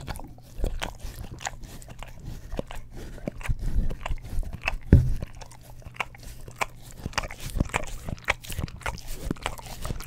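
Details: English Cream Golden Retriever lapping at an Orapup tongue cleaning brush indoors, recorded up close on a Blue Yeti stereo microphone; scattered moist clicks and smacks with a louder burst of licks midway, then steady lapping.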